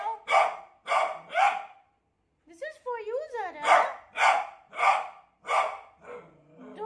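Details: Scared beagle facing a new cot: three sharp barks, a short silence, a warbling whine, then a steady string of five barks roughly half a second apart.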